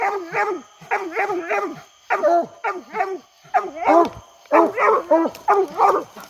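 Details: English Coonhounds coon hunting at night in summer, bawling in rising-and-falling double notes, clusters of two or three bays separated by short pauses, overlapping voices near the end, with steady insect hum behind.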